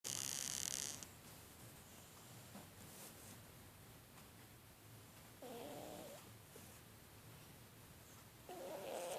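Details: A cat snoring softly: quiet rasping snores a few seconds apart, two plain ones near the end, after a short loud burst of noise at the start, over a steady background hiss.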